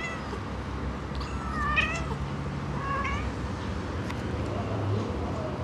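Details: Kitten of mixed Siamese and Himalayan breeding mewing in short bursts, a drawn-out cry near one and a half seconds and a briefer one at three seconds, thin and plaintive, with a low hum underneath.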